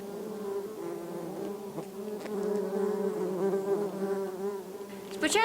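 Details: Bumblebees by their rescued nest make a strong continuous buzz that swells and dips slightly, rich in overtones. Brief clicks and a rising whine are heard near the end.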